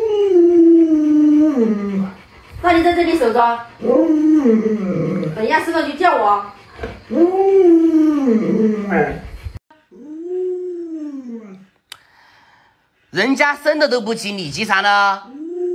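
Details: Luoluo, a household Alaskan Malamute, vocalises to get its late-sleeping owner out of bed: repeated arching, yodel-like howling whines, some short and some long, interleaved with human speech in a small room.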